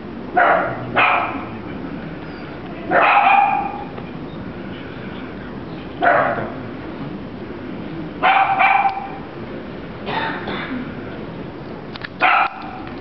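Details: Dachshund puppy barking: six short, sharp, high-pitched barks and yips come at irregular intervals of roughly two to three seconds, some doubled, over a steady low background hiss.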